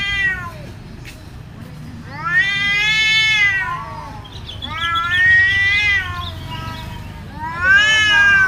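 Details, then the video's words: Cats fighting, very aggressive: repeated drawn-out caterwauls, each arching up then sliding down, about four wailing cries spaced a couple of seconds apart, faint low background rumble. "SUARA KUCING BERANTEM GALAK BANGET"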